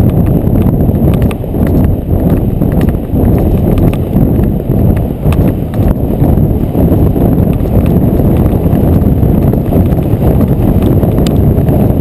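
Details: Friesian horse called Ed running at McIntosh Reserve, Whitesburg, Georgia, on river bottom ground, captured by a GoPro Hero 2 on the rider; heavy low pounding of hooves, loud and blurred, under strong buffeting wind noise.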